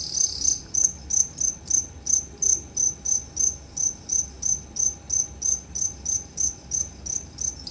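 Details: Two-spotted crickets at Tama Zoological Park, Japan, recorded 29 September 2015, showing two different types of calls; here short high chirps repeat about three times a second in a steady pulsed series.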